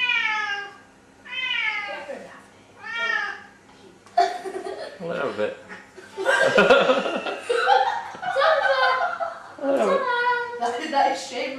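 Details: A pet Siamese cat demanding food, wanting chicken, gives three drawn-out, harmonic meows that rise then fall over the first few seconds, followed by people laughing and talking over further meows.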